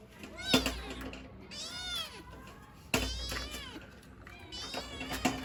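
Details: Kittens wanting their mother give repeated high, arched meows, some overlapping. Sharp knocks and bumps sound around them.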